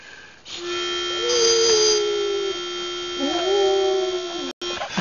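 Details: A Basset Hound learning to match pitch howls in long, wavering tones, mostly sliding down onto a steady, reedy pitch-pipe note and once matching it exactly, and is praised afterward.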